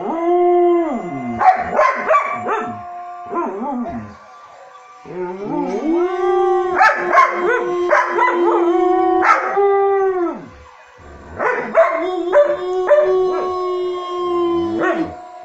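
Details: Samoyed giving three bursts of sustained, slightly wavering howls separated by quieter pauses, mixed with short sharp yips between the drawn-out notes.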